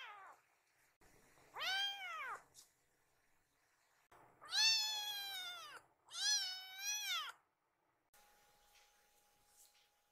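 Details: Rescued foster kitten Kiki, having found her mother, mews repeatedly indoors. Three loud, drawn-out meows rise and then fall, the last two close together, with brief quiet gaps and a faint steady hum afterward.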